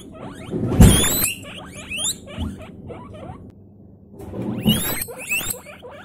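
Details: Several guinea pigs screaming their lungs out, two loud harsh shrieks about four seconds apart, separated by rapid strings of thin squeaky chirps sliding up and down.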